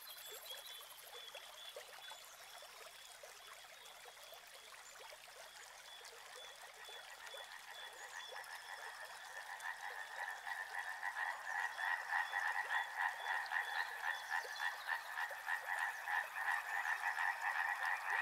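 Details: Frogs calling beside a river, a dense croaking chorus that starts thin and grows louder and fuller after about ten seconds, pulsing rapidly around three to four times a second, with faint flowing-water hiss underneath.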